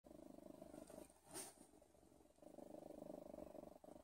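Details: A cat purring steadily: a low, even, pulsing rumble runs through most of the stretch, briefly broken by a sharp click near the middle, with faint background hiss.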